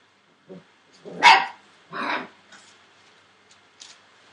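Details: Litter of Entlebucher Mountain Dog puppies aged 41 days, born 28 December 2013: a soft yelp, then two loud, rough yipping barks about a second apart, followed by faint scattered squeaks.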